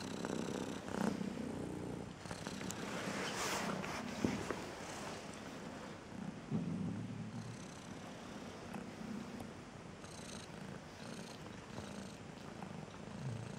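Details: A striped cat, reportedly upset and depressed by a song she dislikes, purrs in a low pulsing rumble across the whole stretch, overlaid by rustling, hissy noise and occasional sharp clicks.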